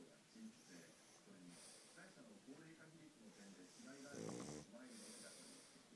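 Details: Pug named Futa asleep, his snoring strong because of his flat nose: low, irregular rasping breaths run throughout, with a louder throaty snort near the end.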